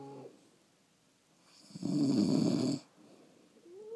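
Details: Snoring from sleeping pet French Bulldogs: after quiet breathing, one loud, coarse rattling snore lasts about a second, then fades back to soft breaths with a faint rising whine at the end.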